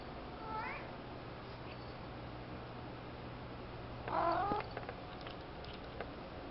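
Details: A part-Bengal cat gives a short chirping trill, then a louder, wavering meow; Bengal cat.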